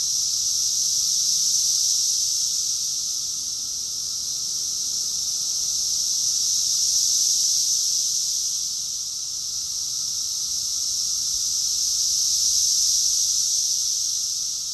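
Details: Cicada chorus in summer, recorded in Rockville, Maryland, USA, in June 2021: a dense, continuous high-pitched buzzing hiss that slowly swells and fades in broad waves, with a faint steady tone lower down.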